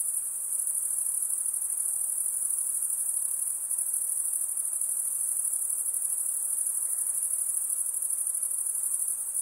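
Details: Unceasing high-pitched insect trilling, thin and bright, pulses faintly but never pauses, with nothing else audible.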